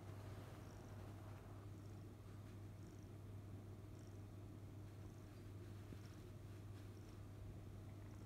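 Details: Somali kitten named Rafu, on its second morning in a new home, being affectionate on the bed where its owner sleeps: a steady, low, continuous purr throughout, with faint, brief high chirps recurring about once a second in the background.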